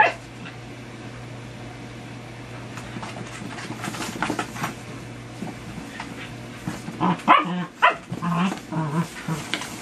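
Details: Dachshunds in a box give short high whimpers and yips, growing louder and more frequent toward the end.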